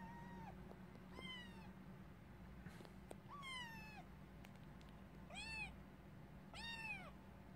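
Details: Kitten meowing: five clear, high, tonal meows, some rising then falling and others arched, spaced about one to two seconds apart over a steady low background hum.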